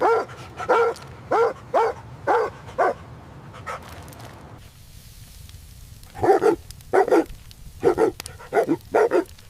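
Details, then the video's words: Joyful barking from puppies playing and play-fighting on green grass: a rapid run of high yaps, a short lull with a steady low background rumble, then another brisk burst of yapping barks. "Dog barking sounds"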